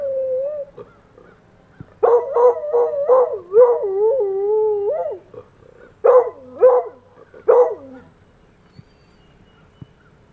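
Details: Coonhound howling in response to passing fire truck sirens: a long wavering siren tone, then the dog's drawn-out, quavering howls with bouncing pitch, a sustained falling howl, and two later short howl bursts.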